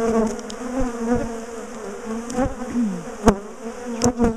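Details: Massed bees of a big colony, known for ambushing people in the garden, as their top bar hive is taken apart: a continuous low, buzzy drone with a slight rising whine and a few sharp bangs of hive handling.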